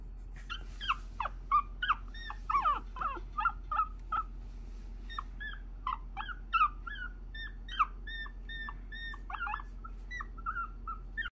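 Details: Timid but lively young female puppy whimpering and whining in a run of short high-pitched yelps and squeaks, some rising then falling, coming in quick bursts throughout with brief pauses; quiet indoor hum behind.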